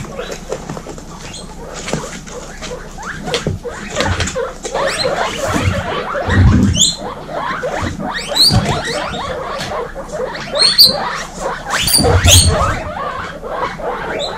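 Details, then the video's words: Baby guinea pigs, from a keeper's herd of 26 females, wheeking loudly: several short high whistled squeals, some rising, come in scattered bursts over steady rustling, scratching and soft chattering, with a few low thumps. "Baby Guinea pig kindergarten ( warning: loud wheeking )"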